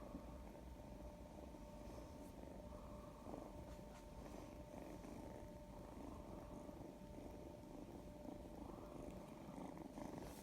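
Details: Domestic cat, affectionate, in the sunshine, purring as a low, steady, continuous rumble with no clear breaks, a faint constant hum beneath it, no other animal sounds.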